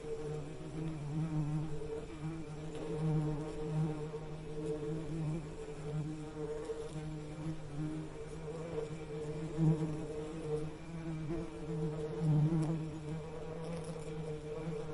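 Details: Bee. A low, continuous bee buzz drones on with a deep hum and a fainter overtone above it. The sound swells gently now and then but never stops, like many wings beating together.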